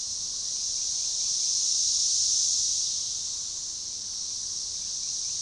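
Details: Periodical cicadas (Magicicada tredecassini) in an organized, synchronizing chorus at a forest edge by a baseball trail near DeValls Bluff, Arkansas, June 7, 2015: a dense high buzzing wall that swells and fades once across five seconds.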